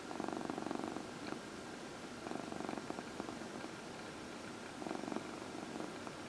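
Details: Dinah, a 14-year-old adopted shelter cat, purring while getting her early-evening massage during lap time, April 16, 2020; soft low rumbling purr in three bursts of about a second each, quiet indoor room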